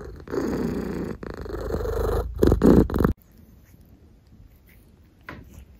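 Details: A house cat purrs close and loud for about three seconds, a coarse vibrating rumble rising in strength, then it stops abruptly, leaving near silence with a faint rustle.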